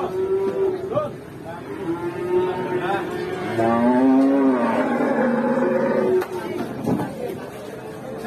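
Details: Enraged cow running amok in a market, with its handler attempting to control it: long, drawn-out harmonic lowing that wavers and rises in pitch near the middle, set against crowd chatter and traffic noise.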